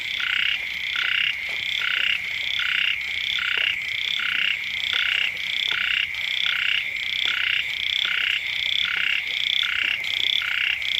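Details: Frogs calling beside a house as the rains first return. A steady chorus of short, bright, nasal notes repeats in quick regular pulses, several voices overlapping, with a constant high hiss and no other clear sounds.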